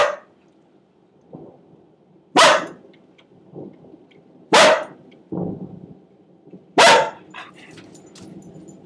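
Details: Domestic dog barking during a storm: three loud sharp barks about two seconds apart, with softer yips and grumbles between them over a constant low background roar.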